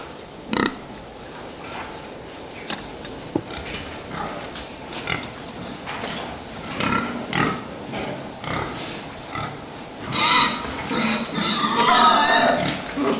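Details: Fattening pigs in a barn: scattered short grunts and clicks through most of the stretch, building to shrill overlapping squeals near the end, with knocks and rustling in the background.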